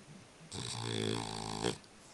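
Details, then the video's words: French Bulldog snoring while asleep indoors: one drawn-out, harmonic, rattling snore lasting over a second, ending in a louder burst, followed by a woman's voice speaking German. "french Bulldog "Spike schnarcht"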